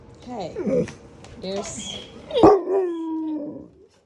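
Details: Alaskan Malamutes howling in the morning, asking to be fed after an early feeding; wavering, sliding whine-howls, a sharp louder cry near the middle and a long falling drawn-out howl, with a person talking in between.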